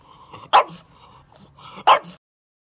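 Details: Two sharp, loud barks from a French Bulldog puppy, about a second and a half apart, each preceded by a soft huffing breath.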